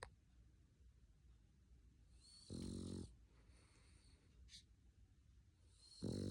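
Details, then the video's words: Male dog snoring while asleep; a soft rasping snore lasting about half a second, then a quieter stretch of breathing, with another snore starting at the end. "Cute snoring boy"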